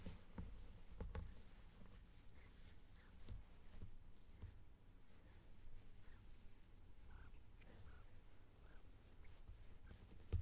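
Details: Low, continuous purring from Shimmy, a male house cat being stroked in a small room and captured on a binaural mic; the deep rumble holds steady throughout, broken by light brushing taps and a click at the close.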